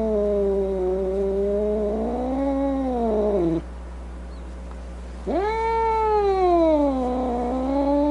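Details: Angry domestic cat giving a drawn-out, wavering moaning yowl, rising and falling in pitch, breaking off after three and a half seconds, then resuming with a sharp upward-swooping, strained howl that slowly sinks again.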